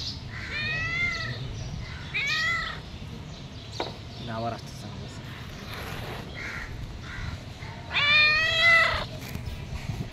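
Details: Domestic cat asking for food: three separate meows spread over ten seconds, the last the loudest and most drawn out, with some clicks and soft background noise between calls.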